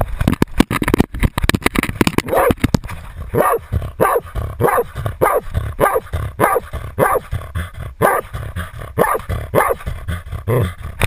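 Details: Jagdterrier baying a 250 lb boar, recorded on a GoPro worn by the dog: rapid, hoarse barks repeated about twice a second amid loud thumping and rustling from movement.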